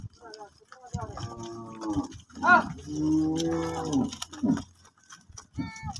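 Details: Cows at a gaushala cow shelter, with many animals gathered together. Two drawn-out, low, harmonic moos, each lasting about a second, with a short rougher call between them. Background music and voices are heard.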